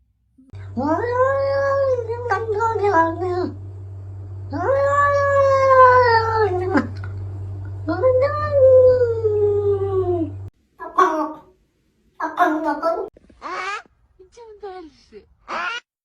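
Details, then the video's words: Domestic cat giving three long, drawn-out wavering meows that rise and fall, followed by several short, higher chirping mews; a steady low hum runs beneath the first ten seconds. "Funny Cat Sounds"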